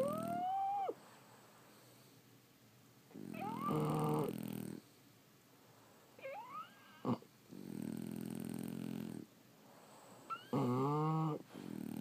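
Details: Snoring French Bulldogs, asleep. Long, harsh, buzzing inhales repeat every few seconds, topped now and then by whistled squeals that curve upward, with a short snort midway.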